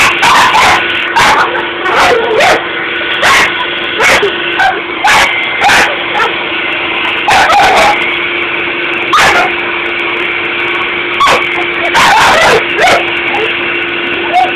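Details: Sable, a dog confronting a Dyson vacuum, lets out repeated sharp barks and yips in irregular bursts, roughly one to two per second, against the constant whine and hum of the running vacuum cleaner.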